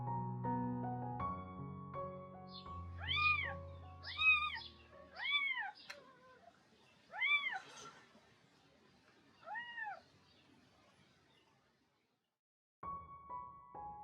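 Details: A kitten, about nine days old, gives a string of high, thin, rising-then-falling meows at breakfast time, and its mother, a scrawny 1.9 kg young cat, hurries over from her meal to check on it.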